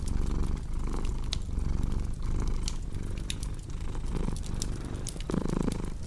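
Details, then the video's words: Domestic cat purring in a steady rough low drone that pulses with its breathing, growing a little fuller near the end, accompanied by snapping, crackling fireplace sounds. "Purring Cat with Cozy Crackling Fireplace Sound"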